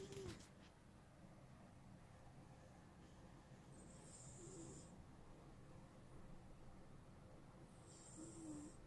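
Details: Sleeping cat named Smokey snoring: two hissy, breathy rasps about four seconds apart over a steady low rumble of room noise.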